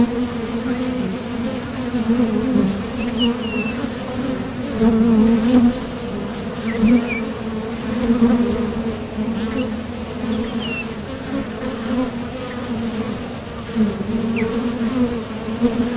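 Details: Honeybee traffic at the mouth of a top bar hive, workers departing and landing from nectar trips; a thick low humming drone with repeated louder swells from nearby fliers and scattered faint bird chirps.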